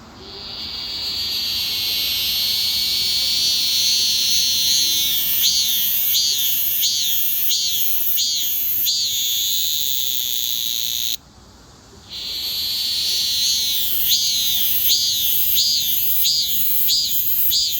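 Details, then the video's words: Shrill cicada cry, a steady high-pitched drone that breaks into pulsing, wavering phrases repeated roughly every 0.7 seconds, with a brief one-second gap of near silence before the chorus resumes. "매미의 울음소리"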